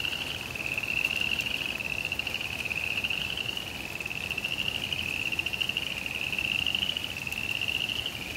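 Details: Frogs calling during cold rain in a suburban backyard: a steady, high, rapidly pulsing trill runs unbroken through the whole stretch, wavering slightly in pitch, over a constant broadband hiss of falling rain.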